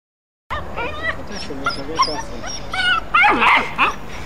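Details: Dogs at play, a German Shepherd male named Gordon interacting gently with a Pit Bull puppy: a burst of high, rising yips and whimpering squeals, tightly repeated, growing louder toward the end.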